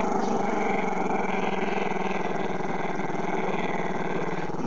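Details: Chester, a camera-shy Maltese-Shih Tzu pup, growling at the camera: one unbroken, rumbling low growl with rich buzzy overtones, steady in loudness throughout, no other sounds.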